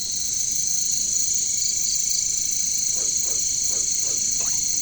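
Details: Katydid (caricangkas) jungle chorus: an unbroken, intense high whine with a brief pulsing trill, followed by five short descending frog croaks in the final seconds.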